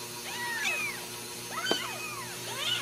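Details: Active litter of Ragdoll kittens with their mother, raised in a central Kansas home cattery; several high, overlapping arched meows in quick succession, one sharp squeak in the middle, over faint hum.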